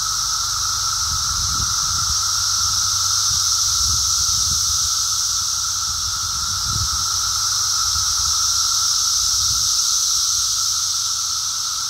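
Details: Brood X periodical cicadas during their emergence, heard on a walk: a dense, unbroken droning chorus with a steady mid-pitched whine over a bright high hiss, plus a few faint low thuds.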